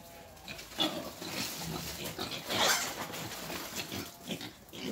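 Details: Wild boar being taken for breeding, giving harsh, noisy grunts and snorts in irregular bursts, with one louder burst near the middle, over a rustling background.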